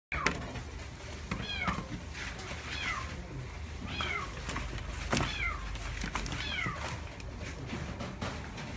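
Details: Female parti-colour Chihuahua puppy, born 23 June 2016, kept at a pet shop, giving thin, high whines that slide downward. About seven short calls come over nine seconds against steady low background noise.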